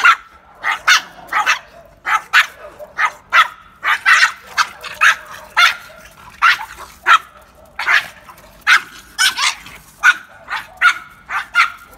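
Two Pekingese trade sharp, high yaps and snarling barks in quick, uneven bursts as they squabble over food.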